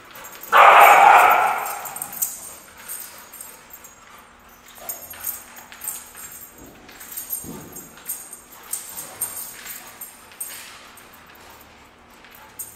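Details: Two dogs playing together, Mason the pitbull and his new friend Diesel the great dane: one loud, harsh, broadband bark early on, then quieter scuffling and scattered faint noises.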